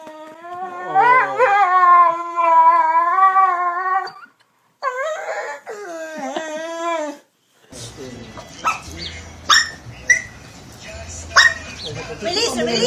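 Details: Jealous dog wanting attention gives a drawn-out, tonal howling whine that wavers and bends in pitch for about four seconds. Shorter sliding whines follow, then scattered clicks and background noise.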